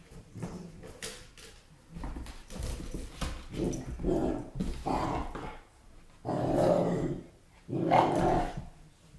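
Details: Weimaraner x German Shorthaired Pointer puppy named Vada playing with a balloon, giving low rumbling growls in several bursts that grow longer and louder toward the end, with rustling and soft scuffing between them.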